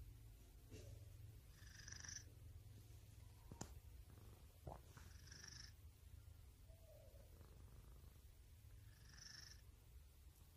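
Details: Domestic cat giving a continuous low purr, with brief clicks and soft rustles, and short high whistling tones recurring about every three to four seconds.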